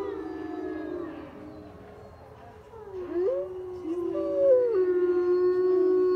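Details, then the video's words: Captive gray wolves at a wolf and wildlife center in Colorado howl together in long, tonal wails that slide up and down and overlap. "Howling wolves at Colorado Wolf and Wildlife Center"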